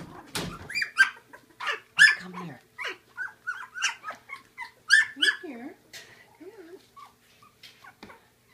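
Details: Seaspray Quinn's Labradoodle pups at feeding time with gruel, giving a string of short rising and falling yelps and whimpers every second or so, fading toward the end, with a few low murmurs.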